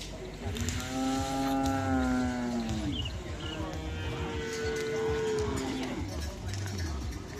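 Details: Cattle at a karapan sapi bull race training session in Asemanis field, Pamekasan, Madura, Indonesia: two drawn-out lowing moos, the second lower and steadier, with music and crowd noise behind.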